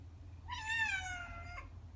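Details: A pet cat born in May 2017, waiting indoors for its owner to come home, gives one long, plaintive meow lasting about a second, rising briefly then sliding gently down, with a soft low hum behind.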